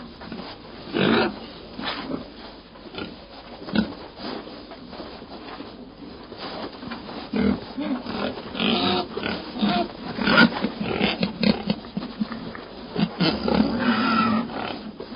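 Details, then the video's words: Domestic pig screaming and crying: short harsh squeals and grunts in irregular bursts, some louder cries rising toward the end, with no other clear sounds. "Som de Porco Gritando"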